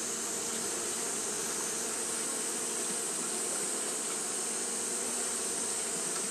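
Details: Fanning Japanese honey bees on a hot day produce a seamless whirring buzz, low hum beneath a loud high hiss, steady in volume from start to finish.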